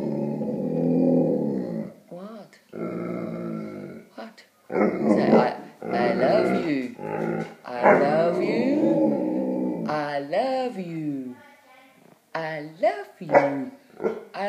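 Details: Pet Leonberger, a gentle giant, talking to its owner indoors: drawn-out low grumbling moans and rising-then-falling whiny yodels in bursts of a second or two, alternating with the owner's affectionate speaking voice in a small room.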